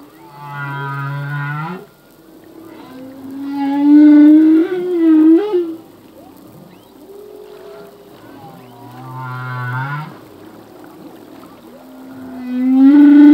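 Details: Male humpback whale song with repeating phrases: low buzzy groans rising at the end alternate with louder wavering moans, the pattern recurring about every eight seconds.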